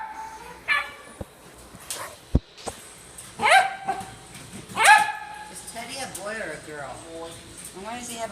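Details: Teddy, a Silky Terrier, gives a few sharp barks, loudest near the middle, amid people talking indoors and a brief burst of clapping.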